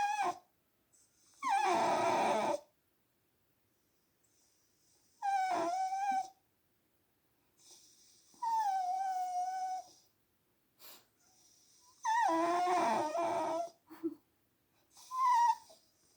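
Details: Blue Heeler Corgi mix, a female dog indoors, whines on hearing her dad snore, seemingly wanting onto the bed; long wavering high whines and howl-like cries come in bursts every few seconds with quiet gaps between.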